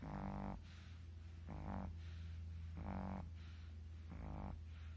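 Two Shih Tzus snore together: a steady low drone broken by rough, buzzing snorts about every second.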